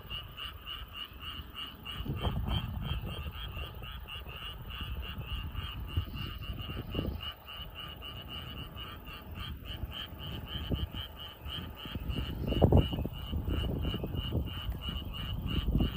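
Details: Evening chorus of frogs in a flooded rice paddy, with rapid pulsed croaks repeating about four times a second throughout. Lower, softer croaks and rustles rise and fall beneath the steady rhythm.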